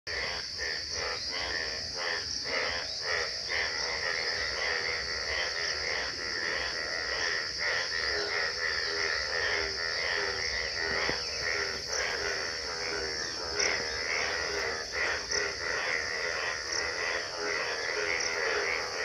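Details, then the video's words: Frogs calling in Gobari, Pratapgarh, at Bhagwan Tara: a dense chorus of rapid, rattling croaks repeated over and over, layered with steady high-pitched insect trilling throughout. "Medhak trr trr | Frogs sound"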